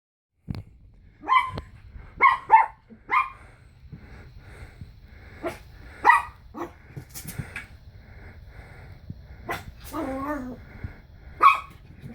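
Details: Pomeranian puppy freaked out by a Slinky, barking in short sharp yaps, some in quick pairs, spaced irregularly with pauses; a brief whining vocalization near the end.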